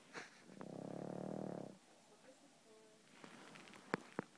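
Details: Pug asleep, letting out one drawn-out, rumbling snore of about a second, followed by faint wheezy breath and a couple of sharp clicks.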